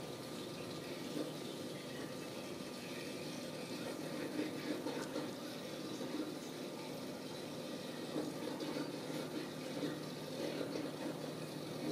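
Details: Steady rushing of running water, like a tap filling a basin, fills the whole stretch without any animal voice.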